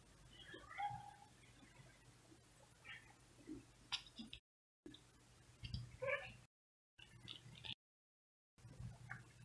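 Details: Male cat meowing outside while other cats look on from a window: scattered harmonic meows and a few sharp yowls, separated by brief silent breaks, over background rumble.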